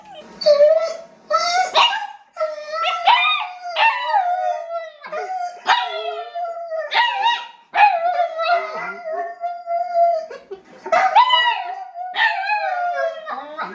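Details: A dog cries on hearing a recording of its own voice: long, wavering whining howls on a steady mid tone, broken by short yelping rises and falls that come in bursts every second or two, with no other sounds.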